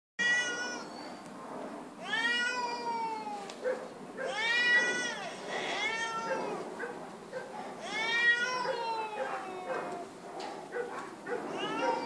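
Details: Feral cat living at an animal shelter, meowing very loudly: long harmonic-rich wails rising then falling, about every two to three seconds, with rough breathy bursts between.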